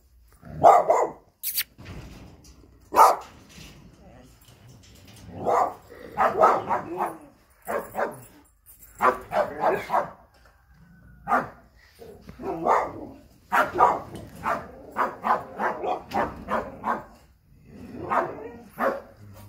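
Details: American Staffordshire Terrier barking in irregular bursts over about twenty seconds, sharp loud barks separated by short pauses, some in quick clusters of two or three, with quieter vocal sounds between them.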